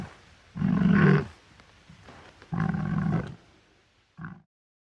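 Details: A wild boar grunts twice with long, rough, low-pitched bursts, then adds a short clipped grunt at the end, against a quiet background.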